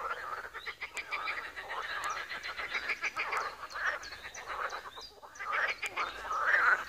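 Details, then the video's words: Pond frogs in Wiry calling in a steady, overlapping chorus of grating, rattled croaks, with short higher chirps scattered above the din. "Żabi stawek, kumkanie, rechot żab, Wiry"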